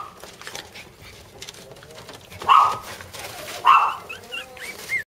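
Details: Sibling Jack Russell terrier puppies: after a quiet start, two sharp, high yips about a second apart, then soft squeaky whimpers trailing off.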